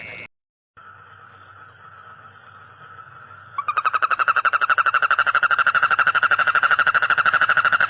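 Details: Frog. A faint, even droning tone fills the first few seconds. Then a frog starts a loud, throaty croak of rapid pulses, repeated about three times a second and holding steady to the end.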